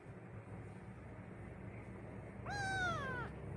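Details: Frightened adopted baby cat crying on its first day at home, giving a single long meow near the end after a few seconds of quiet background hum.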